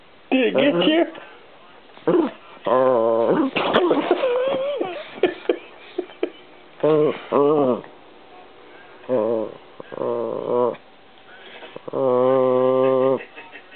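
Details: Peanut, a pet Chihuahua, indoors, arguing at a camera: long harmonic whining growls of about one second, several in a row with pauses, mixed with a man's speech.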